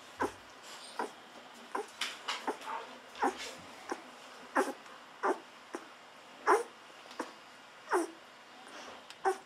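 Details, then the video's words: Fourteen-day-old Golden Retriever puppies taking bottle milk make brief squeaky whimpers roughly every half second to second, each a short rising-and-falling peep, over faint room noise. "Hungry Babies drinking wildly Milk"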